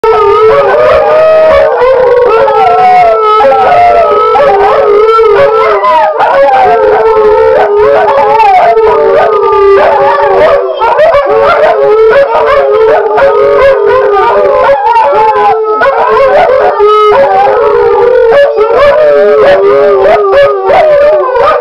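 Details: Dogs in a howling concert on the first morning: several overlapping, wavering howls sustained throughout, with sliding pitches and yips mixed in.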